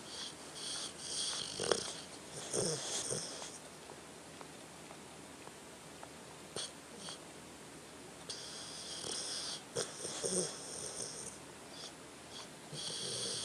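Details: Tucker the dog asleep, producing wheezy, snuffling snores in short breathy bursts with occasional clicks and snorts, spaced irregularly across a quiet indoor room.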